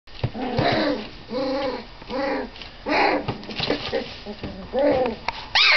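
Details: Doberman puppies, 25 days old, asserting dominance on one another; a run of short harmonic whining yelps and squealing growls in bursts about a second apart, with scuffling between calls.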